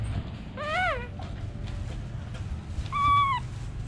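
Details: Baby monkey calling: two clear whistled calls with rich harmonics, the first arching up then falling, the second a flatter level tone ending in a drop, separated by a quiet pause over low background rumble.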